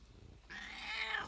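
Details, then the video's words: A pet cat, female, meows while shaking her head: one drawn-out call lasting about three quarters of a second that starts quietly and swells louder, with a slightly wavering harmonic tone, recorded in a quiet indoor room. "My cat makes a funny noise meowing and shaking her head"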